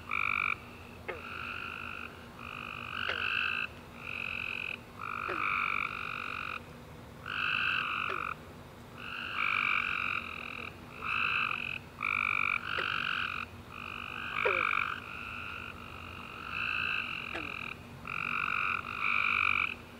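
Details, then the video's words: Tree frogs chorusing at night after a warm rainy summer day: overlapping bursts of buzzy, two-toned trilled chirps, each about half a second to a second long, coming roughly four per second with short gaps, plus occasional brief descending clicks. "Tree Frog Chorus After A Warm Rainy Day - 10 Hours Tree Frogs Chirping You To Sleep"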